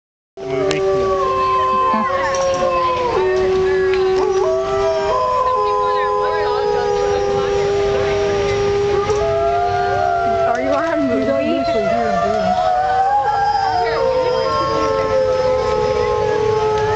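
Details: Captive wolves at Como Zoo, Minnesota, howling together toward visitors: several long, smooth overlapping howls at different pitches, holding, sliding up and down and crossing over each other, continuous throughout.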